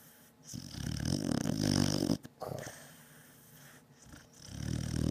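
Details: Beagle Batman, sound asleep at home, snoring loudly: a long, deep, vibrating snore, a short snort, quiet breathing, then another rumbling snore starting.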